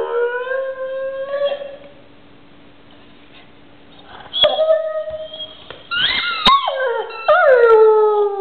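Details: Pet dog with its toy howling indoors: a long steady tone sliding slightly upward, then after a quiet gap wavering, yodelling howls that fall in pitch, with rich overtones.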